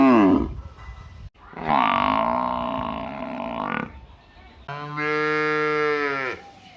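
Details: Two long, drawn-out moos from cattle among buffalo and cows in a village, the second moo steady and deep with a rich, buzzy tone.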